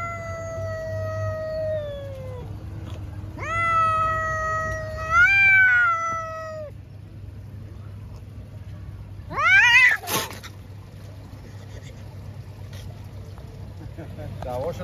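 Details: Cats fighting give long, wavering angry wails, then a harsh, rising screech near the end, over a constant low background hum.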